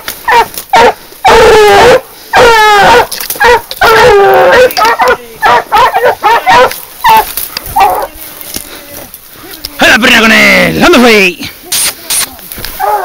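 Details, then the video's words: Hunting dog barking while flushing out a wild boar during a hunt: loud bursts of high, yelping barks and drawn-out bays, with men shouting encouragement between them. "asturiana levantando jabali"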